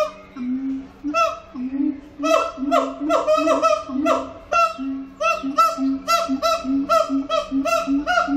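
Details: Captive siamang at Antwerp Zoo in full song: rapid, rhythmic barking notes with rich harmonics, about two per second, over a steady low hoot, building into a dense pulsing sequence.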